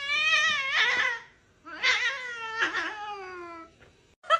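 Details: Domestic cat giving two long, drawn-out meows, the first steady then dipping, the second sliding slowly downward in pitch, separated by a brief pause, with a short faint squeak near the end.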